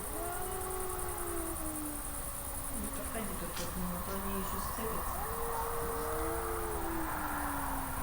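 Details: Black domestic cat sitting arched on a ledge at a country house by a mountain lake in Carinthia, yowling at a Maine Coon tom lying below during a territorial standoff; long wavering rising-and-falling wails over steady background noise.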